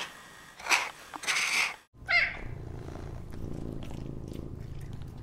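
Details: Rare wild cat: a few sharp breathy hisses or spits in the first two seconds, then a steady low rumbling purr for the rest.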